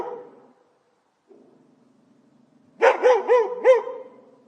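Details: Yard dog described as wicked. A low, quiet rumbling sound comes first. Then four loud, sharp barks follow in quick succession, each with a rising-falling tone.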